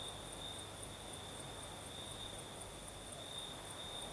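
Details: Crickets sing through a southern Crimean night with a light breeze, a continuous piercing trill with a faint pulsing shimmer above and a quiet low background murmur.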